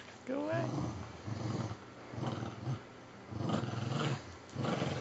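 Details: Puggle dogs growling while playing tug of war with a filthy stuffing-less toy squirrel, one dragging the other around; low rumbling growls in bursts of about a second, with a squeaky whine at the start and a person's voice nearby.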